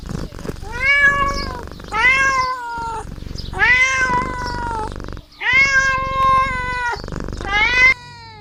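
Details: Domestic kittens meowing while playing: five loud, drawn-out meows, each about a second long, held steady then trailing slightly downward, rich and nasal, separated by short gaps with soft rustling and thumps.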